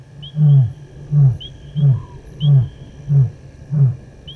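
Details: Male lion in the evening at a dam on a South African game reserve, crossing the dam wall: a series of deep, low grunting roars, about six heavy pulses under a second apart, steady and strong, with faint whistling insects or birds above.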